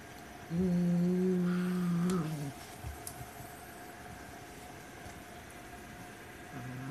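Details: Growling white Siamese cat defending its toy rat prey: a deep, even two-second rumble that dips slightly at the end, then a quiet pause before another low growl begins, with room hum underneath.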